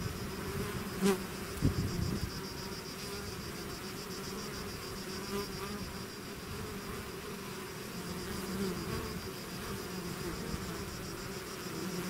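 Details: A swarm of bees leaving its hive makes a continuous layered buzz. Two steady tones are held while single bees flying close swell and fade, with a louder pass near the second second.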